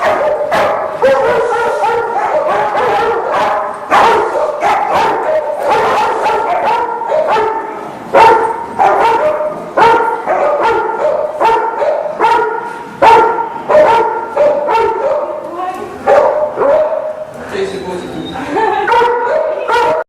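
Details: Bernese Mountain Dog in protection training, giving a steady run of rapid, harsh barks in close succession, loud and continuous, easing into a drawn-out whining tone near the end.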